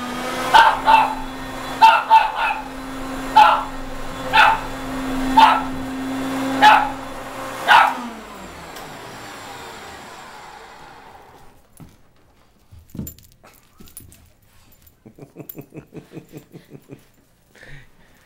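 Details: A house dog barks repeatedly at a vacuum cleaner, nine quick barks in the first eight seconds; the vacuum then winds down and stops, leaving quiet rustling and clicking.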